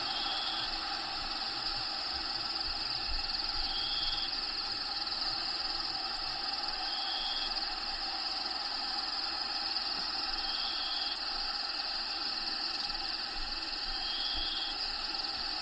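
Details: Crickets inside a bearded dragon vivarium shared with a dragon named Diego: a steady high continuous trill, with faint higher tones recurring every few seconds and a low rumble underneath.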